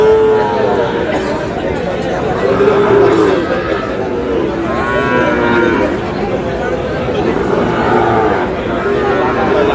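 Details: Sahiwal cattle at a busy cattle market in Comilla, Bangladesh, on 31 March 2026, where young Sahiwal bull calves around five months old are sold; a few drawn-out lowing moos rise over constant crowd chatter and men talking.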